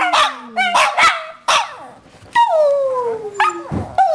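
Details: Pair of pet Shih Tzus singing: short yips and barks, then a long howl falling steadily in pitch, with a second dog chiming in with brief higher yelps.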